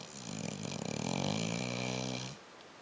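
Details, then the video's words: Dog snoring while asleep at the end of the day: one long rasping, rattling snore lasting about two seconds, then quiet breathing. "Snoring Dog"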